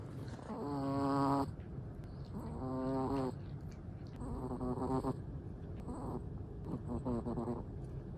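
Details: Sleeping black-and-tan Chihuahua snoring softly, four wheezy breaths with whistling overtones roughly every two seconds, quiet and close, faint high hiss in the background.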